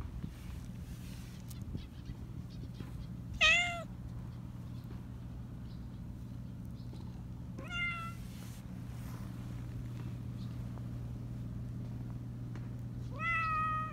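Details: Black Persian cat, a talkative cat with a high voice, filmed outdoors: three separate high, clear meows, each rising then falling, spaced several seconds apart over a steady low hum.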